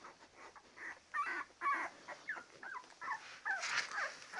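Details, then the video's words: Labrador Retriever pups at ten days old whimpering in a steady run of short rising-and-falling whines, about one every half second, with faint rustling behind. "Labrador Puppies 10 days / Дети Тори 10 дней"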